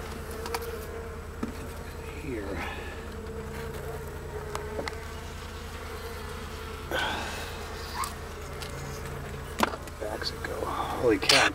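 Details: Wild Western honey bee hive whose comb runs past an I-beam and all the way back under a mobile home; continuous low droning hum throughout, with a man speaking, bumps and rustling handling noises near the end.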